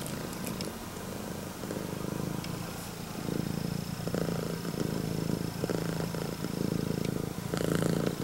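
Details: Loud, engine-like purring from a female red tabby and white Scottish Fold with upright ears as she welcomes her owner home; the low, throbbing rumble swells in pulses, with some brief rustling noises.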